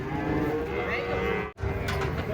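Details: Giant cattle unloading from a truck, a long steady low moo holding through most of the moment, briefly cut off, then resuming with some background clatter.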